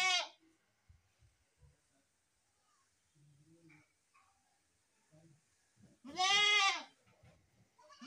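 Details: Baby goats from a compilation of goat kids: a clipped bleat opens, then a long quiet stretch with faint small noises, then one loud, rich, wavering bleat near the end.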